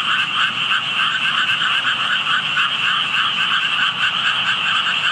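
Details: Chorus of hidden frogs, heard on a walk by water holding tadpoles: many overlapping rapid croaking pulses forming a constant buzzing wall of sound in two bands.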